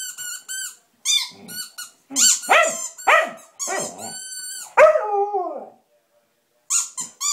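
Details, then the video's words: Samoyed named Blizzard howling at his squeaky toy: bursts of high, squeaky yowls and yips alternating with sharp toy squeaks, then a longer wavering howl that slides downward near the middle, a short pause, and closing squeaky cries. "Samoyed Howling"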